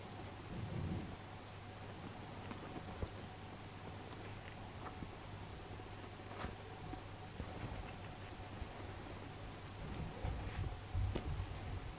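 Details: Low steady hum with soft rustling and scattered small clicks, no animal voice heard.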